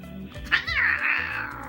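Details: Domestic cat loudly yowling at a kitten during a tense encounter; the owner says they are not fighting. A sharp onset leads into a rising then long, slowly falling, wavering howl. Soft music plays underneath.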